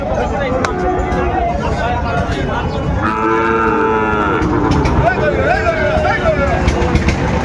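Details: Sahiwal breed bull calves bought by a Dhaka farmer on 20 January 2025: one long, drawn-out moo with a rich, slightly falling tone rises above a steady crowd murmur, traffic rumble and scattered voices.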